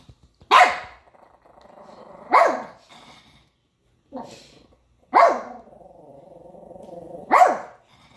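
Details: Pet dog named Pepper barking at a man on TV: four loud, sharp barks spaced about two seconds apart, each trailing into a low drawn-out growl, with a short quieter bark between them.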